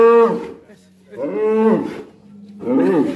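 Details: Black bull, described as raging, calling in its enclosure: three short harmonic moo bursts within a few seconds, each rising slightly and then fading.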